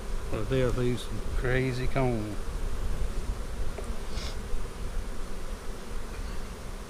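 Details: Honey bees during a hive inspection on April 15, 2017, at a split made March 4 from a hive divided three ways. A steady low droning hum fills the clip, with a man's voice in the first two seconds.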